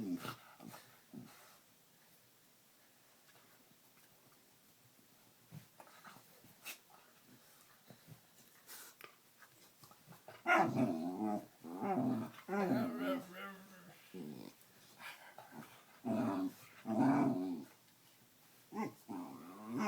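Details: A dog being played with makes odd, wobbling grumbles and whiny moans in short bursts after a quiet start.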